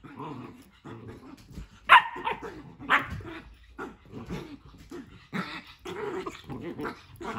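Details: Playing pet dogs Nala and Jersey squabble over a tent in an indoor playroom, with rumbling growls running throughout, broken by a loud bark near two seconds and further yips and snarls toward the end.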